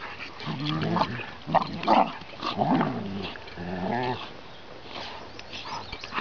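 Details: Rough play between Bailey, a seven-month-old chocolate Labrador puppy, and Vaska, a 20-month-old Ridgeback: low, throaty growl-like grumbles come in uneven bursts about once a second, with scuffling and a person's voice in the background.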